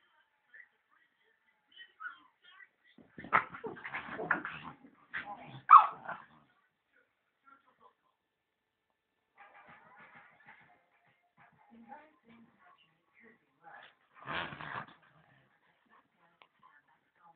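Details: Two puppies, a Miniature Schnauzer and a Husky named Byron and Dagger, play fighting; short rough bursts of growling and yipping in two clusters, separated by near silence and faint scuffling, with a voice now and then.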